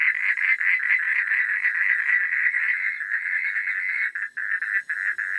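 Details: Night-time frog chorus of fast, grating pulsed croaks from several animals at once, nearly continuous, thinning into short separated bursts near the end.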